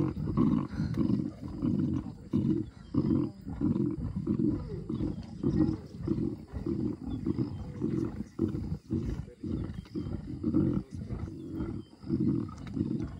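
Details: Pride of lions feasting on a wildebeest kill in the Greater Kruger National Park, South Africa, cubs trying to get their share: steady low rasping growls and chewing grunts, rhythmic and repeated almost twice a second throughout.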